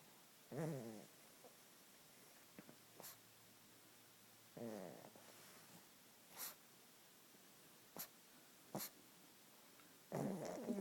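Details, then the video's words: Pug asleep and snoring, with three rattling, vibrating snore bursts spaced roughly four to five seconds apart, separated by near silence and a few sharp ticks or clicks. "Another Pug Snoring"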